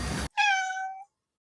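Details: Black-and-white cat, indoors during a hand-gesture intelligence test with freeze-dried treats, giving one short, clear, level meow that lasts under a second, just after a brief burst of noise.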